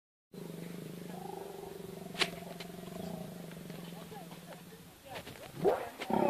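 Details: Wild lions on safari during the mating season: a low, drawn-out rumbling roar holds steady for about four seconds, with a sharp click partway through, before people start talking close by.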